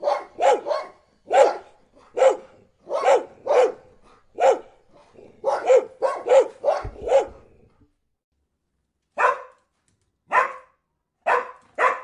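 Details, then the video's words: Barking dog, a rapid irregular string of mid-pitched barks for eight seconds, a brief pause, then four more spaced barks. "PERRITOS LADRANDO"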